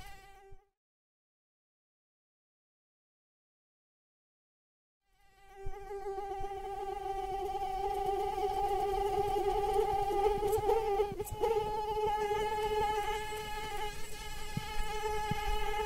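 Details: A brief whine fades out, then five seconds of silence follow. A mosquito's thin, droning flight whine then rises and grows steadily louder, holding a level pitch to the end.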